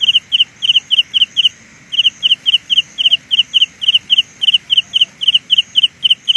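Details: Carolina ground cricket delivering an even, rapid series of high double-pulsed chirps, broken by one short gap, over a faint steady higher hum.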